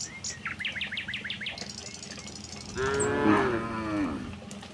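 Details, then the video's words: A herd of tame cattle heading from the next village to the pen; a rapid series of bird chirps comes first, then a wavering, harmonic moo that swells and fades over roughly a second and a half. "suara sapi moo"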